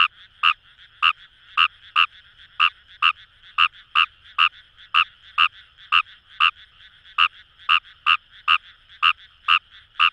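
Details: Croaks of Fejervarya kawamurai in rice paddies near the Kamo River, Itoshima, Fukuoka Prefecture, Japan. Clipped, punchy notes repeat roughly twice a second, eighteen or so, while a continuous buzzing frog chorus hums underneath.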